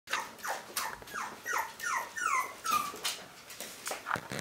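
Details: One-month-old Toy Fox Terrier puppies of a litter squeak and whimper indoors: thin, high, downward-sliding whines repeated roughly every half second in a quick, uneven series.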